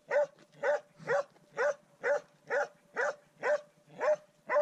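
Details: Swix bays at the first wild boar he has met, giving about ten evenly timed, forceful barks, close to two each second, clear and unbroken.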